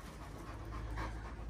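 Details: Irish Wolfhounds, three males on a walking holiday in the Lakes in steady rain, with steady low breathy panting filling the short stretch, a broad rough rush without distinct calls.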